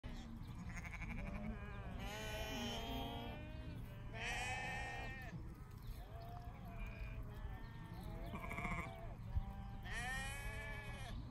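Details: Poll Dorset sheep, described as tops, bleating in a group; several wavering, nasal bleats of differing pitch overlap and follow one another every one to two seconds, over low rumbling background noise.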